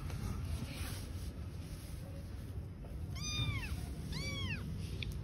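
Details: Two clear, high, arching kitten meows about a second apart from newborn kittens living on the street with their mother cat, over constant low background noise.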